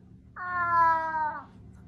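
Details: A pet cat waking its owner in bed gives one clear, level meow lasting about a second over a low background hum.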